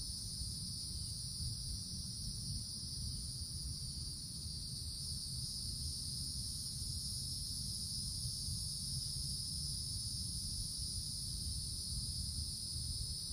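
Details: Woodland cicadas on a summer day high in the forest canopy, droning in a constant, high, ringing buzz that never stops, layered over soft low-frequency rumble.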